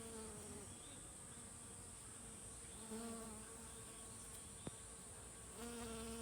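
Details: Honey bee workers collecting nectar from mountain hydrangea blossoms: short, low humming buzzes rise briefly near the start, middle and end, against a constant faint high whine and soft background hiss.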